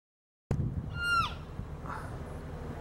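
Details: American black bear cubs in Yellowstone National Park call to each other while feeding on a deer fawn. A single short, high squealing cry, rich in harmonics, slides steeply downward after an abrupt start. A fainter, softer sound follows.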